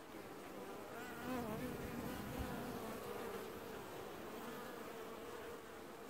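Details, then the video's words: Honey bees washboarding at a hive in an apiary, filmed in early July 2019; a dense, steady buzzing hum with a faint droning tone near the low end, swelling slightly around the second second, with no other clear sounds. "Washboarding Bees & Ambient Sounds"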